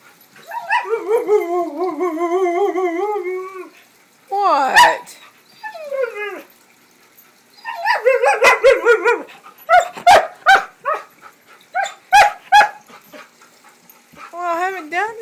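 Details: Excited dog raring to go, wooing repeatedly: a long wavering woo, then yelping rising yips and short sharp barks, ending with another warbling woo.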